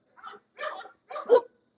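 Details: English Bulldog giving three short, hoarse barks spaced about half a second apart, each a brief rough burst, with quiet gaps between and no other sounds.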